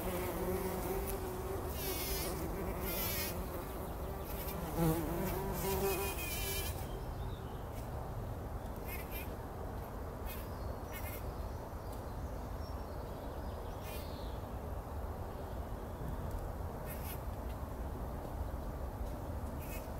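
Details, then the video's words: Early-morning bumblebees rolling in a poppy bloom before sunrise, 2019: a wavering low buzz fills the first seven seconds, then fades into a rustling, rumbling background as bird twitters and short chirps continue intermittently. "Hummeln wälzen sich in der Mohnblüte – summend wird das Pollenbad angenommen"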